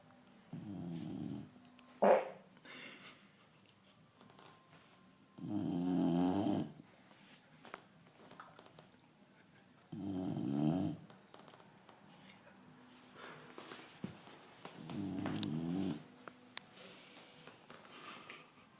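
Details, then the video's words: Pet dog asleep indoors, snoring like a drunk man: four rough, rumbling snores lasting over a second each, arriving roughly every five seconds, with faint snuffles and soft clicks in the quiet gaps. "Dog snoring funny !!!"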